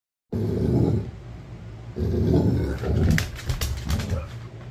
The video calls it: Cute Basset Hound Growl